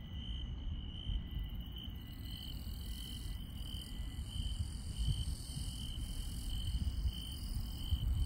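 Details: Countryside insects at night: a pulsing high-pitched chirp repeats steadily across the recording, joined by scattered higher buzzy layers, all set against a continuous low-frequency hum.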